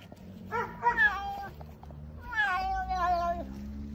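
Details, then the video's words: Orange domestic cat in Ukraine, recorded April 1, 2024, making strange noises: two drawn-out, wavering meows, each rising then falling, over a low background hum. "Orange Cat Makes Strange Noises"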